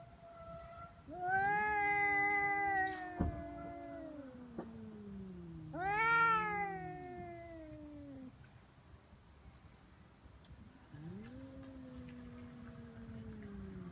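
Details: Feral cats fighting on Cat Day, February 22, threatening each other before biting and pawing: long drawn-out yowls that rise sharply then slide slowly down, with overlapping lower moans from a second cat, three bouts in fourteen seconds.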